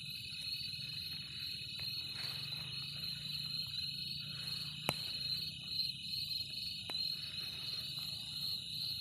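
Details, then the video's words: Continuous shrill cricket trill, even and unbroken, over a low rumbling background, with a few sharp clicks or knocks cutting through. "Cricket 🦗 shorts//original /sound"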